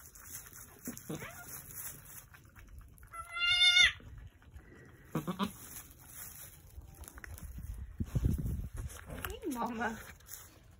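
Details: Angora goat birth on a farm before sunset, March 7, 2020, with two newborn red buck kids; a single loud, wavering, rising bleat stands out, with soft low murmurs, faint human voices and background rustling.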